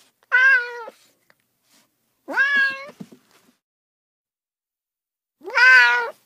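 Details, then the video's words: Three drawn-out cat meows separated by long silences, the final one louder, brighter and sharply rising at its start. "30 minutes of Cats' Meow"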